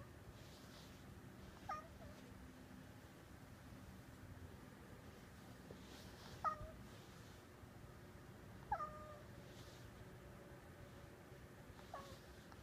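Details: Domestic cat indoors, watching birds outside the window and seemingly imitating their calls; soft, short chirp-like calls with a quick falling pitch, four of them spaced two to three seconds apart, over a quiet room hum.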